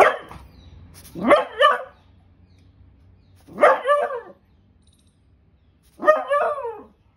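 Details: A beagle angry at a powder box gives loud, drawn-out barks with a rising start, each burst separated by a few seconds.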